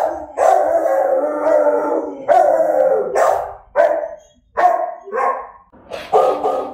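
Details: Dog howling at night, several drawn-out harmonic howls of about a second each, separated by short gaps, with a few shorter wavering cries near the end.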